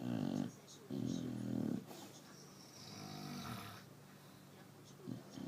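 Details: A sleeping Chow Chow snores at night in low, rumbling breaths, each drawn-out rasp followed by a quiet pause.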